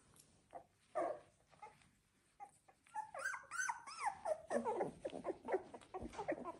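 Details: Labrador Retriever puppies aged 16 days: scattered whimpers building into several high, arching, wavering whines and a dense cluster of squeaky cries from more than one pup.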